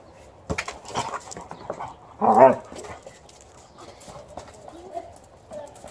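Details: Liza, a female Alaskan Malamute, plays outdoors with a basketball alongside a family member. Thumps and clatter open the clip, then one short, harmonic, moaning vocalization rises and falls. Quiet background with light knocks afterwards.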